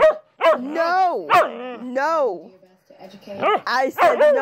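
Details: A husky's singing woo-woos: arching, bending howl-like notes with sharp onsets, a short silent gap, then quicker rising yips at the end.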